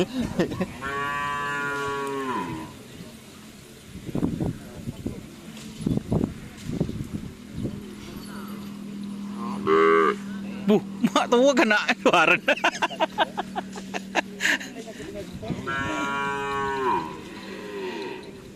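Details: White Karapan Sapi cattle from Sapudi Island: a loud, rich moo opens and a matching long lowing call closes the sequence, with sharp knocks, clattering and human voices in between.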